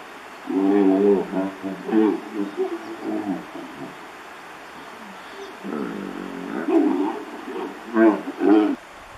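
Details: Hippos in the Olifants River, Kruger National Park, calling with loud, deep, harmonic grunting bursts over the first three seconds, a quieter rumbling stretch, then two more strong honking bursts near the end.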